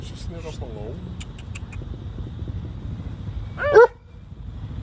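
A German Shepherd gives one loud, sharp bark over steady low rumbling background noise.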